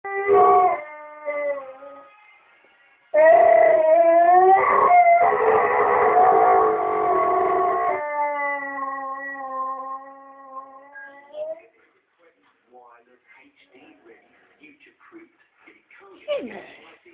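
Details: Pet dog left home alone, howling along to the TV, something it does daily: a short opening howl, then one long, wavering, tonal howl that slowly fades, followed by faint scattered sounds.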